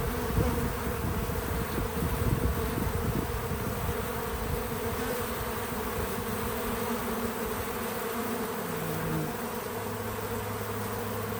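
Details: Several bees at a feeder on a small farm outdoors, their wings giving a continuous low hum, busier and louder in the first seconds, then settling into an even drone with a brief deeper tone near the end.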